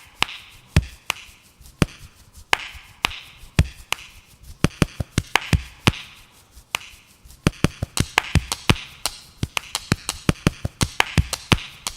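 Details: Sharp, irregular wooden chopping and tapping knocks, clustering faster toward the end, with faint musical tones underneath and no animal voice.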